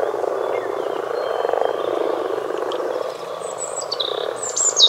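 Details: Steady low grumbling croaks of a common frog chorus, thick and continuous, with a thin high whistle running through and bright bird chirps breaking in near the end.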